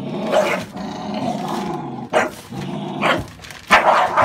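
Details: American Staffordshire Bully dog giving several short, harsh barks around the second and third seconds and near the end, over a low rumbling growl-like background.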